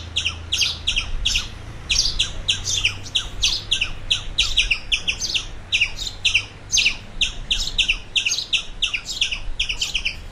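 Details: Squirrel. A squirrel calls with rapid, clipped chirps, high and dry, repeating several times a second in uneven runs. A low hum rumbles faintly underneath throughout.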